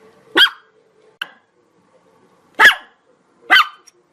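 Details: Chihuahua giving three sharp, shrill barks about a second apart, with one short, faint yip between the first two in a quiet indoor setting.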